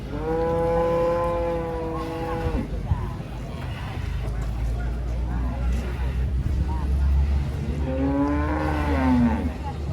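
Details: Agitated cow coming off a truck: a long, steady moo of over two seconds, then a rough stretch of handling noise and engine rumble, then a second, rising moo near the end.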